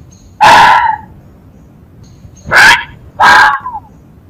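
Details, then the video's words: Fox uttering three rasping, explosive yelps, the last two close together about half a second apart, each ending in a slight downward slur; still, quiet surroundings. "Sonido del ZORRO"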